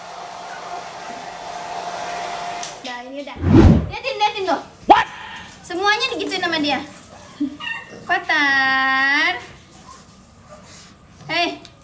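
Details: Playing Pit Bull puppies from Hewie's litter: a loud thump, then several wavering squeals and a long drawn-out arched whine near the end, with a constant mechanical hum early on.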